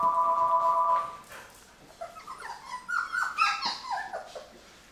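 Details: Labrador retriever puppies, about 23 days old, from Mocha's litter, eating puppy food for the first time: a steady tonal whine opens, then a run of short high, wavering whimpers and squeaks rising and falling in quick succession.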